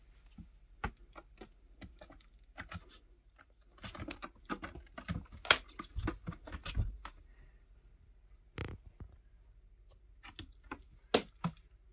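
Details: Indoors, scattered taps, soft thumps and scratchy knocks come in irregular bursts, like paws and claws on a wooden surface, with no meows or other calls.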